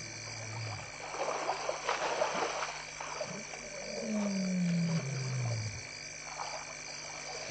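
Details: At a waterhole in the afternoon, with elephants bathing and splashing, a lion gives a deep, falling moaning roar over the sound of water.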